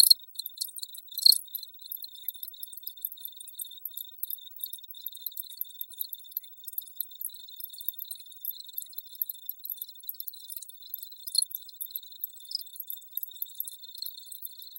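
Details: Crickets chirping in a dense, shrill, high-pitched chorus: rapid pulsed trills over a steady ringing tone, with irregular louder bursts and no low-pitched sounds.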